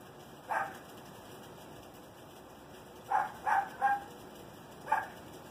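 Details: Small Chihuahua barks sharply: a single yap, a tight cluster of three after a pause, then one more, against constant electrical hiss.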